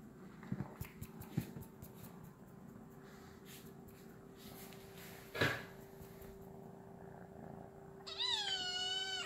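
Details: Domestic cat playing with a laser indoors: scattered soft taps and thumps, then one drawn-out harmonic meow that wavers and dips at the very end, over a steady electrical hum.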